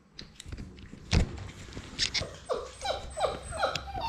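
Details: Six-week-old Labrador Retriever puppies at play in their romper room, a litter of six. After a thump, a run of short, high, downward-sliding yips repeats about every half second, over scrabbling paws and light clatter.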